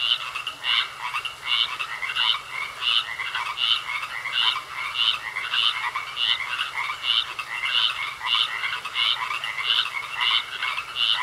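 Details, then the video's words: Frogs croaking in a pond: a dense run of short, bright pulsed croaks, about one and a half per second, overlapping and uneven in rhythm, with a thin steady tone running beneath. "Sounds Of Frogs Croaking In A Pond"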